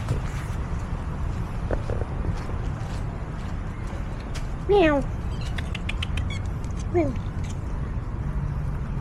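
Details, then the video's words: Hungry street cats in a lane begging for food at feeding time, following and meowing; two short falling meows, one near the middle and one later, over steady low traffic rumble and background noise. "Sampai Meow2 Minta Makanan🥹So Sad See the feelings of hungry street cats"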